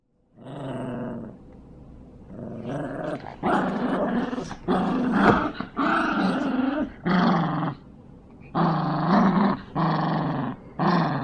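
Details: Two Yorkshire Terriers, Jax and Brando, playing tug of war indoors, growling in long rumbling bursts, about eight over eleven seconds with short gaps, while music plays and a voice urges one of them on.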